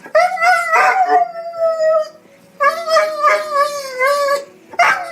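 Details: Dog crying in the funny style: wavering, drawn-out whimpering whines in bursts, a short yip-like rise near the end, over soft background music.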